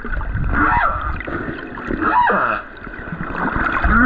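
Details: A lone male humpback whale on the Silver Bank in February 2023, recorded while snorkeling above him, sings drawn-out, wavering moans that swoop down and up, over splashing water noise.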